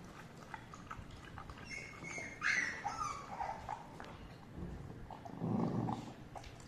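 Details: English bulldog mother angry at her puppy indoors: a short high whine-like yelp, some softer vocal sounds, then a low rumbling growl near the end.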